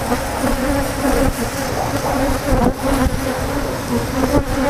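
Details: Agitated Africanized honey bee colony during honey removal, a loud, pulsing hum whose low tone wavers up and down, with bursts of louder buzzing.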